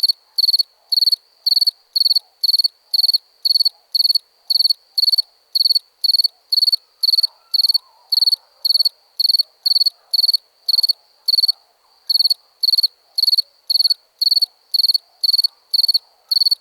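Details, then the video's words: A cricket keeps up a long, even run of high pulsed chirps, close to two per second, with a brief break near the twelfth second and faint soft rustling underneath. "Cricket sound"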